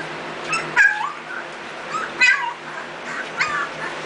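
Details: Nearly three-week-old mixed-breed puppies, eyes newly open, as their mother Ella comes to check on them; repeated short high whining squeals in bursts about every second and a half over a low room hum.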